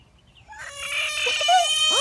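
An American bullfrog gives a loud, eerie, scream-like wail, rich in harmonics, when an enemy comes near.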